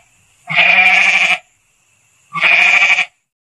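A goat gives two harsh, nasal bleats, each under a second long and about a second apart, with a wavering, buzzy tone.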